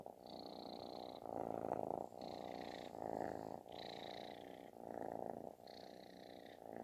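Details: Kitten purring with a thunderous snoring quality as it seeks affection; dense, even rumble broken into breath phrases about a second long, with a faint high whistle on alternate breaths.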